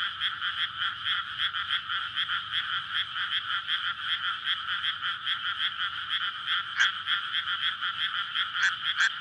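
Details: Courting frogs in a water-filled rice paddy on a May night, before rice planting, recorded on a SONY PCM-D100. Pulsing croaks repeat in a dense chorus, with a few sharper, higher calls standing out near the end.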